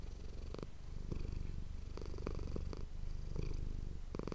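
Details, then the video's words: Manis, a pet domestic cat, purring for an ASMR recording made with an ASMR microphone: a steady low rumbling drone, broken by several short broadband rustling bursts. "ASMR cat purring ❤ Manis die aan het spinnen is"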